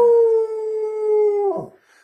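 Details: Indoor pet dog singing along with its owner's song. A long, sustained, pure howl holds one pitch for about a second and a half, then drops and fades with a rough tail.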